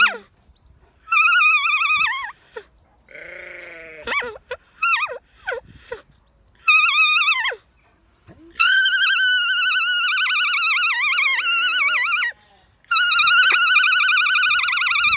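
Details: A female alpaca on a farm in County Kilkenny, Ireland, "sings" in repeated loud, high, quavering bleat-like bursts, the later ones long and trembling, with a person's voice heard briefly between the calls.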